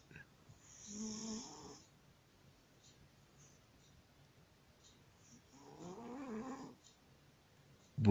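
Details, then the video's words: A sleeping pet cat named Busya snores like a man, two drawn-out rasping, harmonic breaths about four seconds apart, each lasting under a second, with quiet room noise between them. "Кот храпит как мужик."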